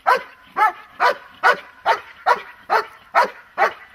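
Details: Protection-training dog barking in an even rhythm, nine loud, clipped barks spaced roughly half a second apart.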